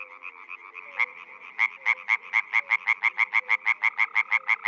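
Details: Frogs calling in a Czech spring: soft, distant croaking at first, then a close frog breaks into a long, even series of loud, rapid, knocking croaks.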